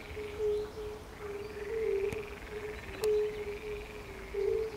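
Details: Fire-bellied toads and frogs calling at the pond beside the palace in Bukowiec near Jelenia Góra, Western Sudetes, Poland, on 20 May 2019: soft, low, tonal hoots overlapping in a steady chorus, with faint higher chirps behind.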